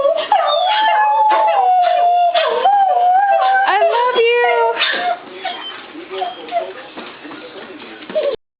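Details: Pet Beagle howling in reply to being told "I love you", joined by a Coonhound and a Shepherd mix; long wavering tonal howls sliding up and down, overlapping yips and whines, a person repeating "I love you" throughout.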